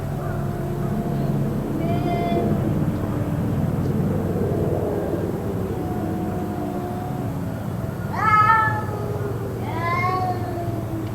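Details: Cats crying continuously, perhaps in a fight, going on for about two hours; a faint wail early, then two short rising-falling yowls near the end above a constant low rumble.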